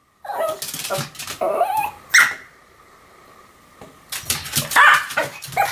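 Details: Pomeranian pair Sam and Marin in a barking duet: jumbled yips and whining sounds run together, a brief quieter gap, then another cluster of overlapping high barks.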